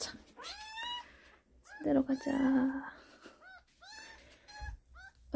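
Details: A kitten indoors meowing: thin, high, arching mews repeated several times, with a person's voice speaking over and between them.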